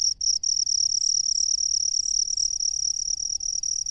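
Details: Rice-field cricket giving a sustained shrill ringing trill, interrupted by two brief gaps near the start, then running unbroken at a steady high pitch over a faint low background hum.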